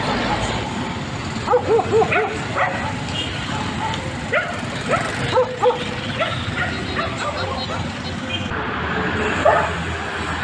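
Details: Dog barking in short bursts, a pair of sharp barks near the start and another pair midway, over steady traffic-like rumble and background voices.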